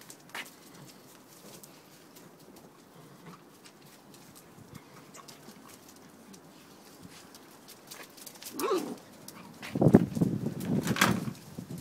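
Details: Garden play among eight-week-old puppies of the dog Peppa: near-silence for most of the stretch, then a burst of scuffling, growly play noises and short yelps toward the end.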